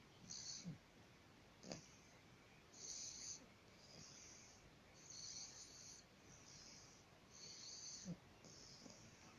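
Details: Bulldog asleep and snoring, with airy, sibilant wheezes coming in short irregular bursts, a few brief snorts and clicks between them.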